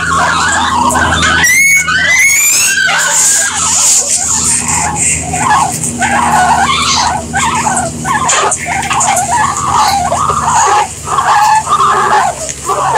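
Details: Guinea pigs give a pair of sharp rising whistled squeals near the start, then a steady chain of short, buzzy squeaks at an even pace, set against a low constant hum.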